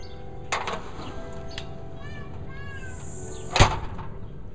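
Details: Chopper, a house cat that almost never vocalises, gives two soft, drawn-out, mournful meows. Their pitch gently rises and falls, over a steady low hum, with a sharp click just after.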